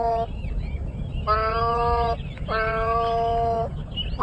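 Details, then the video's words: Cat meows heard as three long, flat, tonal calls of even pitch, the first clipped short and the other two lasting over a second each, separated by brief pauses, with low rumbling noise underneath. "Cats Meow 10 Minutes of Cats Making Meow Sounds"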